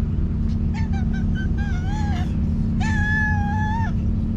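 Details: Hungry stray cats in a village, angry at being fed a day late, give a series of short stepped meows followed by one long drawn-out flat meow, over a steady low engine rumble.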